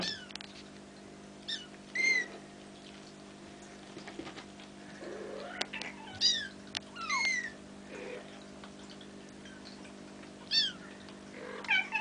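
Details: Almost five-week-old Bengal kittens at play: repeated thin, high, downward-curving mews come every one to two seconds, some paired, with soft rustling and a constant background hum.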